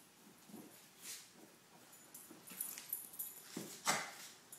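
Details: Young male Lhasa Apso humping a roll pillow from an antique daybed indoors; short breathy snorts and huffs come in uneven bursts, with a sharper puff near the end and a quiet room behind.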